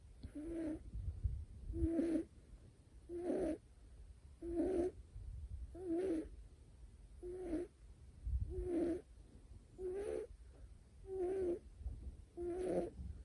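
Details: Sleeping male Scottish Fold kitten Niko, short-haired with folded ears, snores steadily: about ten breathy, buzzing snores with a faint wavering tone, spaced evenly around every 1.3 seconds, with low rumbling background between them.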